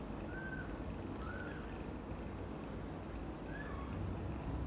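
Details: Kitten meows near mother cat Xaxa, who fetched two kittens, Miracle and Cream, from mother cat Chan's nest to her own. Three thin, high mews with a slight rise then fall, spaced about a second or two apart, over a low steady hum.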